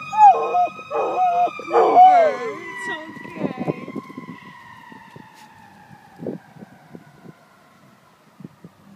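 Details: Standard poodle Cooper joins a passing fire truck siren with short wavering howls in the first few seconds, then the long siren tone slowly falls and fades while scattered clicks and knocks continue.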